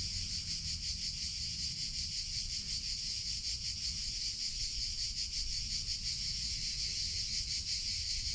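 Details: Summer chorus of cicadas, an unbroken shrill buzzing that throbs rapidly and evenly, with faint low-pitched background rumble beneath.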